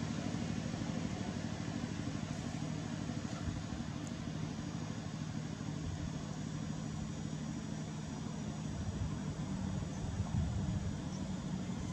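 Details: Low, continuous vehicle engine idling and outdoor rumble run steadily, with no animal sounds.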